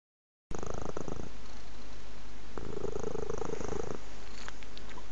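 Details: Domestic cat purring up close, a steady low rumbling throb with a brief louder stretch near the middle, recorded indoors with no other clear sounds.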